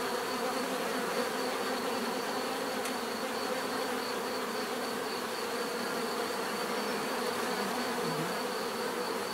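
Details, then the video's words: Bees humming en masse in a steady, even drone, individual insects occasionally swelling past within the dense buzz; a thin high whine runs continuously and one brief faint click sounds early on. "bees therapy relaxing natural buzzing sound"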